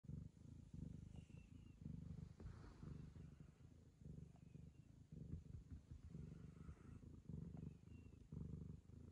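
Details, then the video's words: Ragamuffin cat purring while licking the owner's daughter as a sign of affection; a steady low rumbling purr in alternating breath phases, with faint soft clicks and a faint high electronic whine. "友愛の証として娘を舐め回す猫 ラガマフィン"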